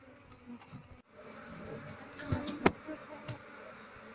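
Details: Asian honey bee colony (Apis cerana), wild, buzzing while the queen is searched for to relocate the bees into a cultivation box; a low hum that briefly drops out, then returns with rustling and a sharp knock.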